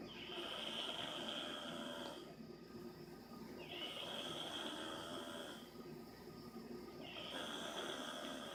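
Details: Dog called Angel Bear snoring again, each rough breath carrying a bright, sustained whistling tone on top, repeating roughly every two and a half seconds with slight quieter breaks between snores.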